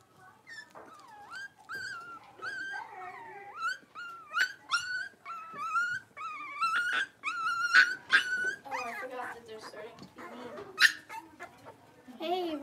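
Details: Five Blenheim Cavalier King Charles Spaniel puppies at play in an indoor pen, giving rapid high whines and yips that rise and fall, dense overlapping bursts with brief squeals and low growls.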